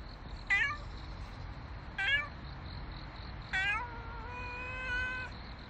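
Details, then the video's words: Street cat giving three separate harmonic meows about 1.5 seconds apart, the last stretched into a long, steady, slightly falling tone, over a faint hum. "나를 밟고 가라냥"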